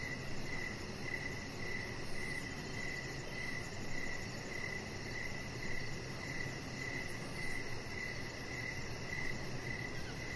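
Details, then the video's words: Outdoor evening ambience on a deck with crickets: a steady, metronomic chirp repeats throughout, nearly twenty times in ten seconds, set against a constant low hum and hiss. "Chihuahua Puppy Laying On Deck with Cricket Sounds"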